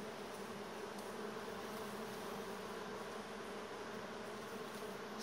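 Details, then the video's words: Bees swarming back to the hive ahead of an approaching storm, flying in from among the trees and pushing inside; a dense, steady low hum of many wings with no breaks throughout. "Pszczoły wyczuły armagedon"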